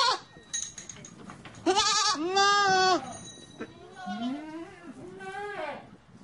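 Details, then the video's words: Goat giving a loud, drawn-out quavering bleat followed by two shorter wavering bleats, with a faint metallic clink and some background noise between calls. "Con dê Tiếng kêu và hình ảnh con dê Ai nói dê kêu beeeeeee"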